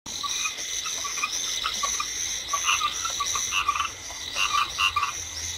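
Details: Chinese edible frogs calling in a rice field during light rain: many overlapping short pulsed croaks in bursts, with a steady high hiss of rain and insects throughout.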